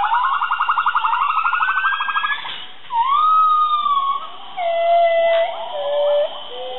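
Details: Gibbons singing, linked to a gibbon rescue program in Indonesia: a fast warbling trill of rapidly repeated notes for over two seconds, then long swooping whistled notes that rise and fall, some overlapping.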